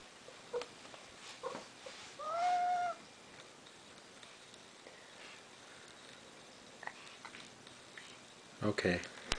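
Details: Tonie, a pet cat, demands food indoors with one drawn-out, wavering meow that rises then falls, standing alone amid quiet room noise, a few soft knocks and brief human speech.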